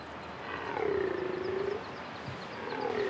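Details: A rutting stag in Corsica, between pine forest and scrub, roars to assert mastery of its territory. One drawn-out tonal moan slides slowly downward for about a second, and a second call starts near the end.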